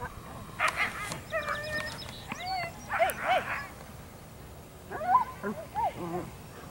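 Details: At a Canadian Amateur Racing Association whippet race, whippets give short yips and rising-falling whines in loose clusters, with soft background chatter.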